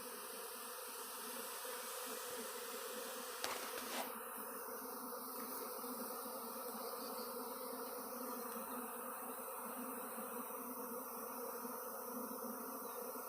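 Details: A couple thousand swarming honey bees flying around a back yard cedar tree; dense, even droning buzz of wings holding steady throughout, with one brief knock early on.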